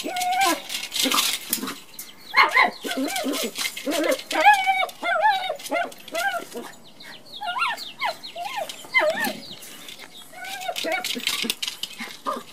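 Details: Pet Chihuahua playing with a toy bowling ball indoors: a run of high, nasal whines and short yelping cries that rise and fall in pitch, coming in quick bursts, mixed with clattering knocks of the toy.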